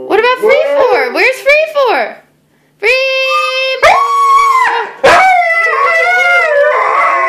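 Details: Two Siberian Huskies sing, howling in wavering, sliding tones and breaking into short yodel-like 'woo' phrases, apparently to help find the other dogs; Siberian Husky.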